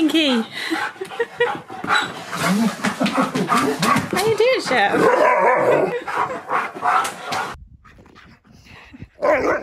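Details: Siberian Husky excited at his best friend's visit indoors: rapid, wavering whines and yodel-like vocalisations mixed with a person speaking, then a quieter stretch near the end.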